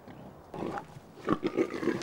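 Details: Wild boars mating in a forest, the female running away while the male clings half on her back; rough grunting squeals in short bursts, several loud pulses in the second half.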